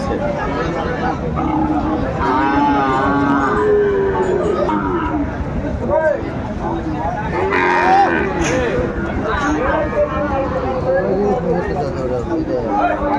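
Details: Sahiwal bull calves at the Aftabganj cattle market on 4 May 2024, lowing in long harmonic moos, one rising then falling around mid-clip, over a constant hubbub of bargaining voices and crowd chatter.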